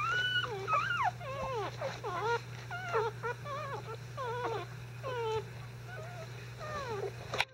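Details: Five-day-old Icelandic Sheepdog puppies, not really hungry but disturbed while their bedding is changed, give a stream of high, wavering whimpers and squeals, several pups overlapping with rising and falling cries about every half second; steady low hum underneath.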